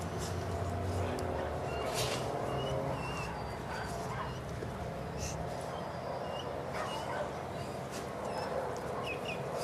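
A Cane Corso gives scattered deep, gruff barks over a steady background murmur.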